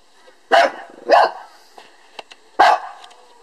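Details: Lhasa Apso barking at a beetle it has a dispute with; three loud, sharp barks, the first two close together and the third after about a second and a half, with faint clicks between.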